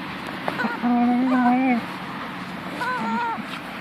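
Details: Punky, a female house dog, talks to her toy chicken with a steady nasal moan of about a second, then a pause and a softer, shorter whine, against a low background hum.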